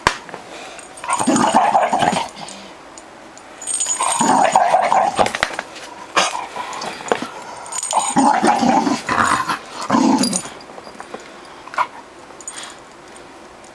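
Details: A female Bull Terrier, jealous while her owner holds her toy, gives loud wavering whining vocal bursts in repeated bouts of one to two seconds, with squeaky and rustling noises between.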